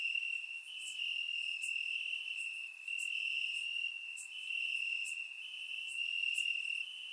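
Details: Crickets chirping in grass on a warm summer night in Bulgaria, recorded with a surround microphone: a steady high trill with a continuous shimmering band, plus brighter pulsed chirps recurring about every second over a quiet background.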